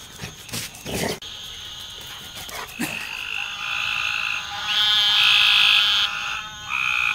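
A few sharp knocks open the recording before frogs take over with high, ringing calls rich in overtones. The voices overlap and grow louder, holding as a steady chorus with brief dips.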